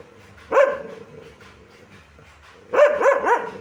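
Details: One loud dog bark, a pause, then a fast run of three harsh barks in quick succession against a faint low background hum.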